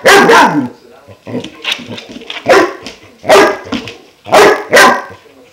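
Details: Young German Shepherd, five months old, barking at a new water buffalo horn; loud rough barks come singly and in pairs, with low grumbling and huffing between them.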